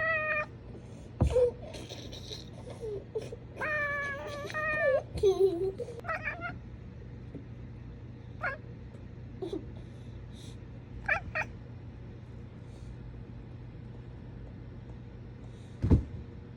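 A Savannah cat chirps and chatters in short, bright bursts with stuttering, warbled trills.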